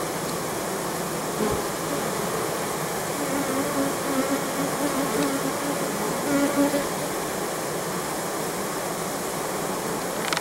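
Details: Apiary honey bees working the goldenrod nectar flow in September 2014: a continuous droning buzz with individual passing bees adding wavering tones that rise and fall over the steady hum.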